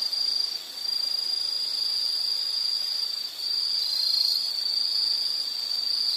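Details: An insect trilling nonstop for relaxation listening, one high, shrill tone held almost unbroken, with two brief dips in loudness and a faint steady hiss beneath.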